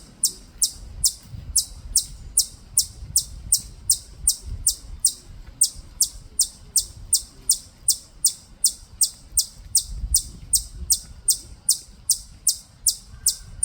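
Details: Steady run of shrill, clipped chips, close to three per second, from a native chipmunk near Bulguksa temple, Gyeongju, Korea; quiet low outdoor hum underneath.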